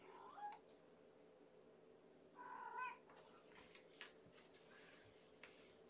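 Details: Hungry female foster kitten from Mama Gamora's litter of five, born April 14, meowing at bedtime feeding on 2018-05-04 indoors by a kennel; two short tonal meows, the second longer and wavering, followed by soft clicks and rustling.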